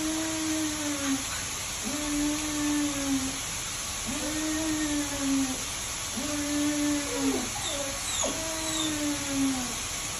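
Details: Mating Siberian Husky pair playing: five sustained, level whines repeated roughly every two seconds, several ending with a quick downward slide, over steady background hiss.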